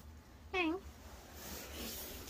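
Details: Kkaebi, a white kitten living in the countryside, out at night during a late-night burst of running about, gives one short clear meow that dips then lifts slightly, between quiet stretches with a soft steady hum behind.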